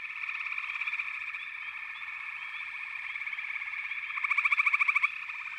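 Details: Frogs calling together in a continuous high, buzzing drone. Rapid pulsing swells gently, then a louder rattling trill bursts out for about a second before the chorus settles back.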